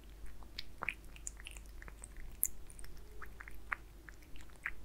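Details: Aliska, a pet cat, eats Friskies wet food with beef: moist smacking and sharp clicking bites come in irregular bursts, with a faint low room hum and no talking.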